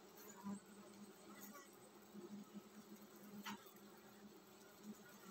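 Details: Swarm-ready honey bee colony humming in a steady low buzz. Small pulses of louder buzzing and a few soft clicks rise over the drone.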